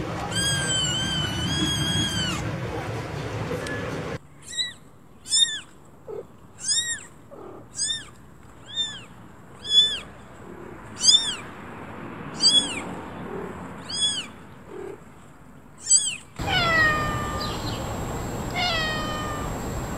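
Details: Repeated short, high-pitched kitten meows, each a brief arched squeak, come roughly every second for about ten calls. Longer, noisier meows sit at the start and end, with soft background hiss between calls.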